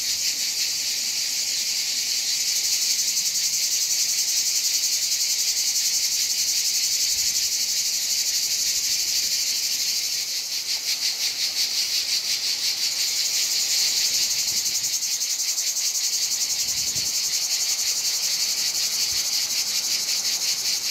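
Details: Many cicadas on a hot summer day in Provence, France, fill the air with a continuous, high, buzzing drone that pulses slightly in intensity.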